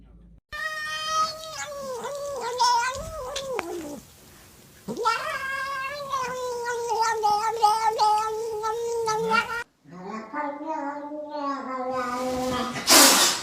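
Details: Domestic cat wailing in long, drawn-out meows, rich and harmonic, wavering in pitch and lasting several seconds each, separated by short silences, with a woman's voice and light music in the background.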